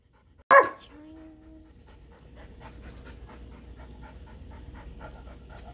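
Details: Puppy pair, a Golden Retriever and a Shih Tzu, living with a third dog: one loud, abrupt bark, a brief thin whine after it, then soft, rhythmic panting against low household hum.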